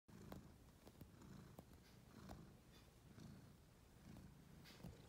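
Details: Cole Bankers, a pet cat, kneading his beloved purple pillow. The cat gives a soft, low rumbling purr that swells in pulsing waves roughly once a second, with faint scratchy clicks and rustles from the paws on fabric.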